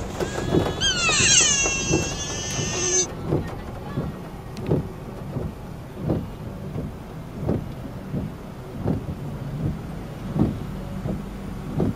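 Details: A sika deer in Nara Park, Japan gives one loud, harsh, wavering bark that drops in pitch, followed by steady rhythmic thumping.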